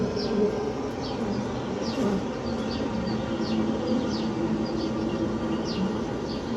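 Many Maltese honey bees buzz together in a thick, continuous drone that swells and dips slightly. Faint, brief high chirps flick over the hum now and then.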